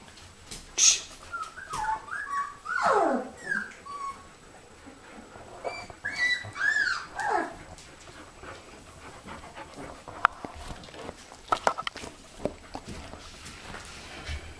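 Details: Puppies meeting their great-grandmother Oralee for the first time: scattered high whines and yelping whimpers, a few sliding downward cries early on, then sparse squeaks amid rustling and soft clicks.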